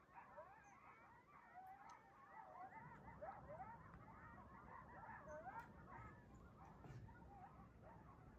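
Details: A pack of coyotes (Canis latrans) on the move through a neighborhood in the morning calls together in quavering, wavering yips and short rising howls that overlap into a tangled chorus.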